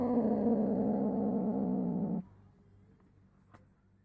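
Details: Female house cat in estrus, one year eight months old, kept indoors, giving a low moan while her owner wipes her. A rough, throbbing drone lasts about two seconds, then near silence with one faint click. Smartphone recording.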